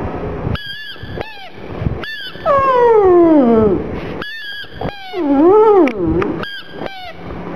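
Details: Black pug Gong Fu cries over his little ball, giving short stacked squeaks between drawn-out whines that slide downward, then a wavering, undulating whimper, with brief silent gaps between bursts.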